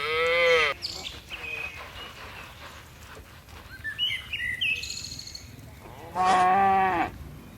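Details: Cattle from a tame herd of dozens hopping down a mountain hillside. A short moo opens the clip and a second harmonic moo sounds near the end, with scattered birdsong between them.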